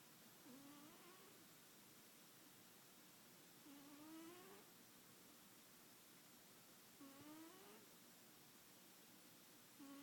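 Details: Female pet cat snoring while asleep indoors; soft nasal snores, each ending in a rising whistly squeak, recur about every three seconds over a faint steady hiss.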